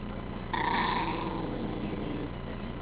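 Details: Cairn Terrier Bonnie, tickled indoors, lets out a quieter nasal snarl that starts abruptly, holds a tight wavering tone for about half a second, then trails into a low, fading rumble.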